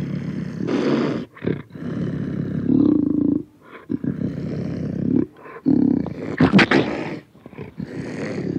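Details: Panther, close, voicing continuous low growls that swell into throbbing, drawn-out roars, with a sharp snarling burst toward the end.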